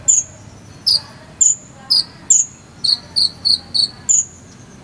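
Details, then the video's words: Cricket sound intended for a konin bird to copy: clear, high, short tonal chirps, first spaced about half a second apart, then a quicker run of four at a lower pitch before a higher one ends it. "KONIN ISIAN JANGKRIK SAMBUNG CILILIN"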